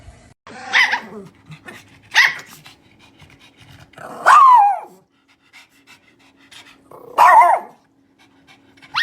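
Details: A pet dog 'talking' to its owner in drawn-out, yowling vocal bursts, some rising and bending in pitch, about five calls spaced by quiet gaps, with a faint steady hum underneath.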